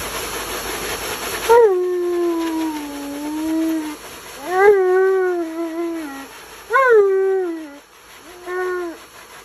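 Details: Hissing water spray cuts off as Tonka, an Alaskan Malamute who hates baths, starts complaining with long sliding moans, each starting on a sharp upward yelp then sagging lower, four phrases in a row.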